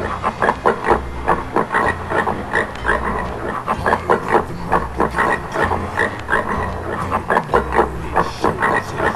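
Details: Wild boar from Sweden grunting in a long, uneven series of brief, harsh pulses, sometimes clustered, sometimes spaced, over a constant deep hum.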